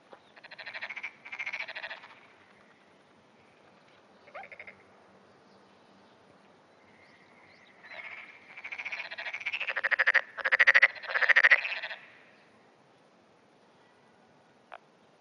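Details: Black-spotted pond frog calling in early morning on 10 June 2009, answering surrounding frogs: short pulsed, rattling croaks in separate bursts, two early, then a quieter gap and a run of four more closely spaced bursts.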